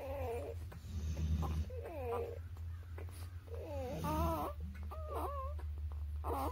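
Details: Young newborn puppies, under three weeks of age, squeal in a run of about six wavy, whining cries with brief pauses between them, while a constant low droning hum runs underneath.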